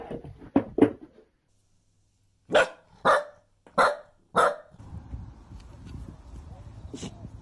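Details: Household dachshund, a sausage dog, barking in two bursts: a quick pair of yaps, a pause, then four evenly spaced, sharp barks roughly half a second apart, followed by a low background hum and rustle.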